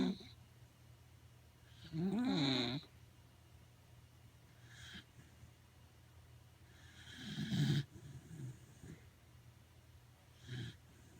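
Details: Pet Corgi sleeping comfortably at home, snoring heavily: two drawn-out snores, the first with a whistling, wavering tone, plus a few softer breathy snorts between long quiet gaps.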